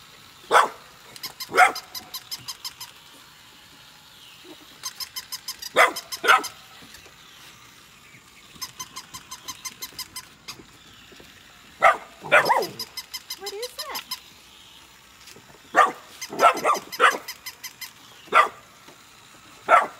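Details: Golden retriever siblings Nala and Scout, puppies born August 2020, at play with a newly arrived puppy: bursts of sharp yipping barks, singly and in quick clusters, amid steady rhythmic squeaky-toy pulses and a brief whine.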